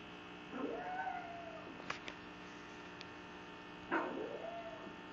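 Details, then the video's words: Cupcake the female pug 'arguing' the merits of capitalism to her sister: a long, rising-then-falling moaning whine, a couple of sharp clicks, then a second similar arched yowl, all over a steady background hum. "Pug Rhetoric: Cupcake explains the merits of individual ownership and capitalism"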